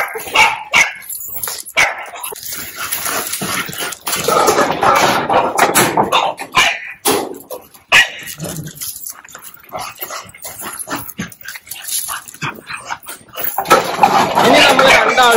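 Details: Puppy, one of two young dogs having ear-cropping stitches removed at home, gives irregular sharp barks and yelps among clattering handling noises, with brief human voices and rustling throughout.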